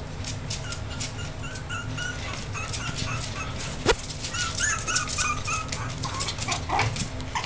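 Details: Several six-week-old Yorkshire terrier puppies give scattered thin squeaks and whines, sparser than a chorus, with a sharp click near the middle and a constant low background hum.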